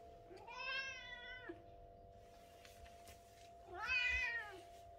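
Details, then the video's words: Daytime meowing from a British Shorthair cat, two long, bright harmonic meows separated by a pause of about two seconds, rising then falling in pitch, with a steady electrical hum underneath. "British cat meowing, cat sound"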